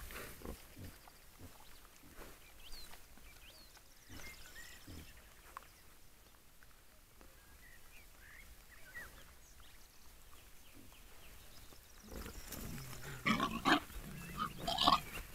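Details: Wild boar giving soft, low grunts at an irregular pace, with thin bird calls above and a louder burst of rustling noise near the end.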